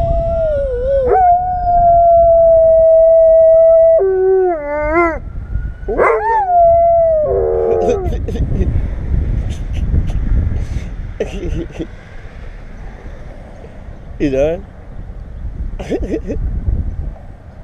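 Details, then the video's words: A German Shepherd howls at sirens in long, wavering tones that rise, hold and bend downward. "German Shepherd Howling"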